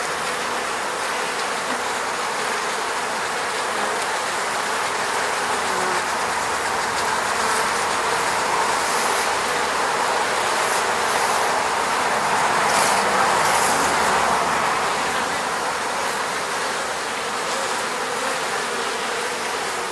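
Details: A mass of honey bees buzzing close to a beehive at an eco-apiary in the Moscow region, Russia, taken on a Sony a7 III camera; a steady, dense drone lasting the whole clip, slightly louder in the middle.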